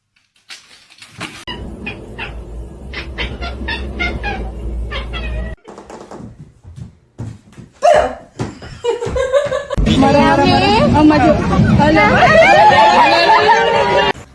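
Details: Domestic cat or kitten indoors giving a run of short, quick meows, followed by louder, drawn-out wavering cries over a noisy background with people talking and laughing.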